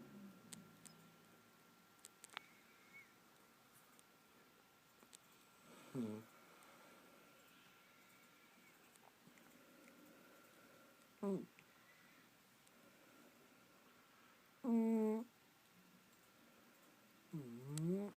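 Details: Sleeping pet cat named Poopers snoring indoors: short squeaky, tonal snores with wavering, rising-and-falling pitch, arriving every three to six seconds, separated by near-silence with a faint steady hum.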